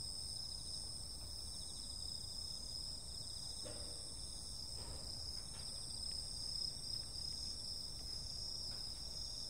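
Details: Summer-night insect chorus of unbroken, ringing high trills stacked in several bands. A few faint ticks and soft knocks mid-clip sit over a low background hum.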